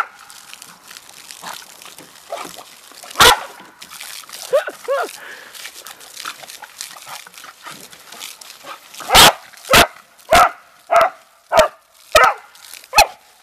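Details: Family Beagle and Dachshund dogs playing in water at a tub: mixed yips and splashy noises, then a run of sharp, evenly spaced barks, about one every half second, closing the stretch, with a person talking nearby.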